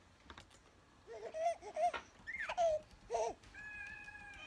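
A domestic cat gives several drawn-out, wavering meows that rise and then fall away.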